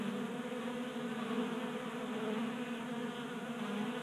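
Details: Garage-visiting honey bees in Colorado feeding from a 3D printed table feeder during a warm January. A full, steady wing hum from several bees, low droning tone layered with higher overtones throughout.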